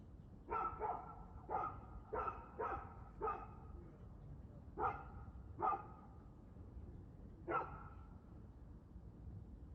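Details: Dog recorded barking at 6:02pm on 2/6/2024, giving about eight sharp, punchy barks in irregular bursts, some in quick pairs, others spaced a second or more apart, against a low constant hum.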